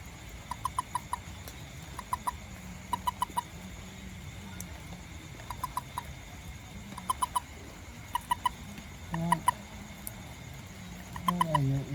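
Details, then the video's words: After rain, a little toad foraging for ants near a house and garden gives repeated quick bursts of three or four short clucking notes every second or so, with faint low rumbles and a brief sliding voice-like sound. "WONDERFUL SOUND OF TOAD 🐸 FROG ADILU"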